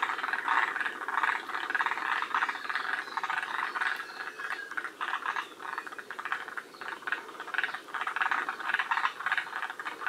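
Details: Chorus of forest green tree frogs from a northern-limit population at Shiriya, Aomori, Japan: many grating, pulsed croaks overlap into a steady rattling wall of sound, with a few stronger bursts standing out near the start.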